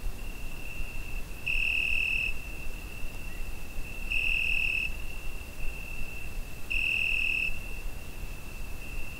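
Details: A cricket calling through a summer night, recorded on a Zoom H5: an unbroken shrill trill with three louder, sharper pulses spaced about two and a half seconds apart, quiet low hum in the background.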